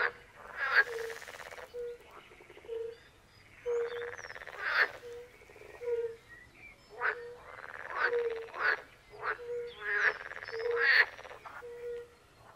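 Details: Fire-bellied toads call at a forest pond in Poland, in a chorus shared with pool frogs. Mellow, low, fluted 'oop' notes come in an even series, crossed by loud rasping, chattering frog bursts.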